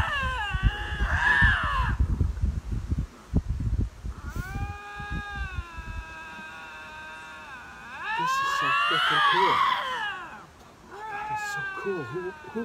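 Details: Lynx howling while vying for territory, mixed with human speech and scuffing at the start, then long steady moaning tones, a rising and falling wail, and a shorter wavering cry at the close.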